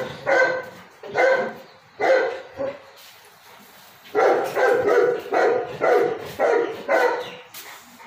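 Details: Beagle puppies giving a run of barks: three spaced barks, a pause, then five quicker barks in a steady series, with faint background noise between.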